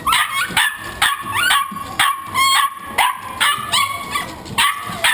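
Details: Welsh Corgi in a pet cart on 8 October 2012, yapping with sharp, high, rising yips and barks repeated roughly twice a second in an uneven, excited run, with faint background noise.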